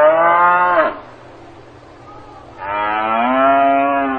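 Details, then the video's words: On a farm, a cow gives one moo ending abruptly, then after a short pause a second, longer sustained moo that holds steady and stays loud. "농장에서 우는 소 울음 소리"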